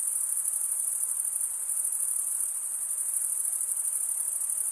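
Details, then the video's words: Crickets chirping by stridulation, males scraping one wing against the comb-like teeth of the other; an unbroken, very high, buzzy trill with slight rhythmic pulsing, nothing else audible. "cricket sound"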